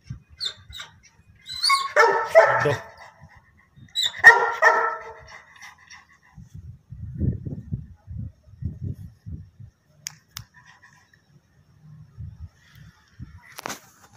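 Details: Labrador Retriever puppies for sale in Karnal, Haryana, India, barking twice in short bursts a couple of seconds apart, followed by low shuffling and thumping noises and a faint sharp click near the end.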